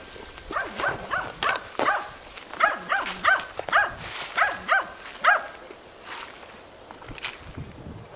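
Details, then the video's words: Hunting dog Tina persistently baying at young wild boar during training, 6 March 2013; a run of sharp, repeated barks about three per second, outdoors with rustling and footsteps between them. "odlicno goni i uporno oblajava d.nazimad"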